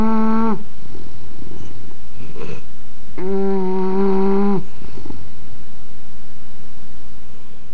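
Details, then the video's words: Snoring English bulldog, recorded with an Android phone: a droning snore fades out at the start, a brief wheezy breath follows, then one long steady buzzing snore, before quieter low breathing. "Snoring English Bulldog"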